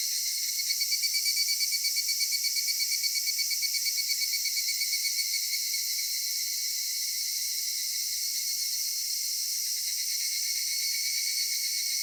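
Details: Evening cicada song in a summer cedar forest: a rapid, regular pulsing buzz swells during the first few seconds over a constant shrill drone, then settles into an even, unbroken high-pitched hum for the rest.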